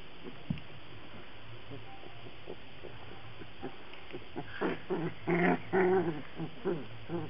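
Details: Black Labrador Retriever puppies from a kennel: soft scattered sounds at first, then a cluster of louder, whining yelps and squeaky cries in the last few seconds, rising and falling in quick succession.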